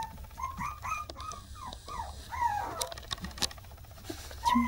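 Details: Silver female Toy Poodle puppy, born 27 March, the smaller of two sisters, raised indoors by a breeder in Tokyo; a run of high, arching whimpers and yips in quick succession, with faint room noise and brief clicks.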